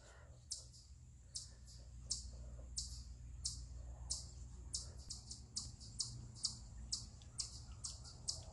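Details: Eastern chipmunk calling from a rock, a stress call: sharp high chips, spaced about a second apart at first, then quickening into a steady run, over a low background rumble.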